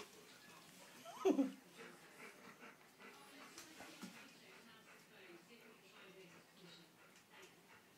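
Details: Nine-week-old puppies indoors: one short, high yelp sliding sharply downward about a second in, followed by soft room murmur and faint background voices.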